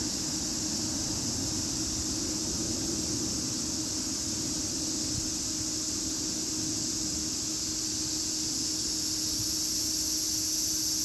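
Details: A constant shrill cicada drone runs unbroken at a high pitch for the whole stretch, with a low steady hum and a dense noisy background beneath it.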